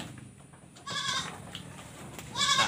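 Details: Sick goat with a cough, runny nose and difficulty breathing, in Indonesia: two harmonic, nasal bleats, one short and wavering, the second rising at the end, over a quiet background hiss.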